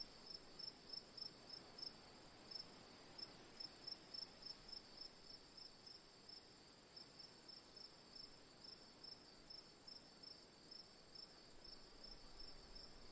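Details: Cricket chorus for relaxation: a steady, piercing high drone with a second layer of short bright chirps pulsing several times per second throughout, over faint broadband background noise.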